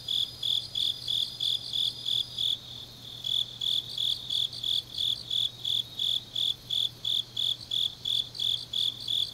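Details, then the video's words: Late-night autumn insect chorus from Changnyeong, South Korea: regular shrill chirps about three per second continue throughout, joined by a fainter higher insect that drops out after a short gap, over a steady low hum. "깊은밤 가을 풀벌레 소리"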